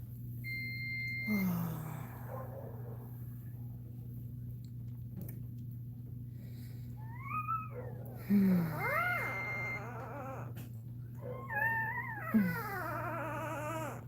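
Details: Cane Corso crying while another dog, Cashmere, is in labour; several high whining cries rise and fall in arcs with rich harmonics, spaced a few seconds apart, over a steady low indoor hum and repeated flat electronic beeps.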